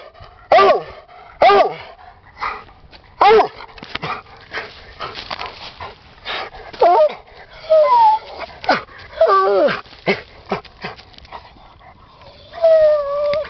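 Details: A 10-year-old Redbone Bluetick Hound tries to get at something down a hole in an underground stream, giving short, sharp yelping barks and high whines at irregular intervals, with scuffling between calls.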